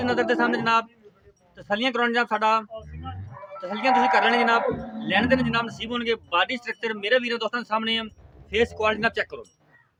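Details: Jersey Friesian cross cattle offered for sale in Punjab, giving long harmonic moos in several bouts with steady low tones, some overlapping, amid farmyard noise and brief music.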